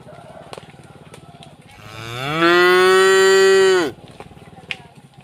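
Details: Gentle cattle heading from rice fields back to the barn in a rural village; one drawn-out moo that swells gradually, then holds a strong, even tone for about a second and a half before stopping sharply. Faint clicks are audible around it.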